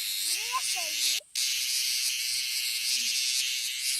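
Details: Bear cicadas in a Kansai park give a steady, harsh, high buzzing drone that cuts out for a split second, while faint squeaky chirps and low knocks sound in the background.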